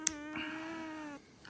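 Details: Domestic cat making a pig-like noise while getting a trim: a single sustained, steady-pitched harmonic cry of about one second, preceded by a sharp click, in a quiet indoor room.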